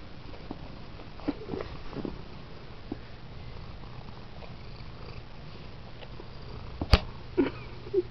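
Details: Squirty, a pet cat with a bossy personality, being brushed indoors; a soft low purr rumbles beneath, with a few short tonal chirps near the end and one sharp click in a quiet small room.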